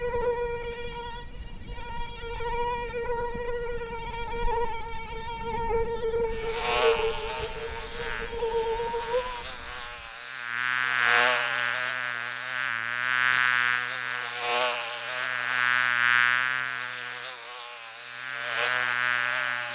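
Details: Mosquito buzzing: a steady, thin whine holding one pitch with bright overtones for about ten seconds, then a wavering, pulsing buzz that swells and fades repeatedly as if the insect circles close by.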